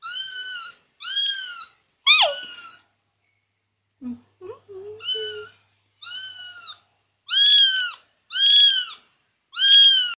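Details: Persian kitten, noisy and following its owner everywhere, repeats bright, arched meows in quick series, one sliding steeply downward; a short burst of soft human talk interrupts before the mewing resumes.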